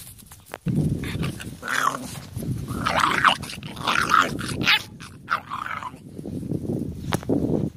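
A pit bull puppy makes a run of short yelps, whines and little growling barks.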